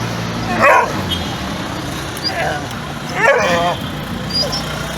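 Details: Dog giving two short, rough barks about two and a half seconds apart over a steady background hiss and low hum.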